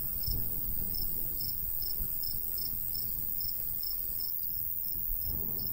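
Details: Natural cricket sounds from summer countryside beside a golden wheat field. Bright, high chirps arrive at roughly 140 per minute, a little uneven, over a continuous high whine and a low rumble of light wind.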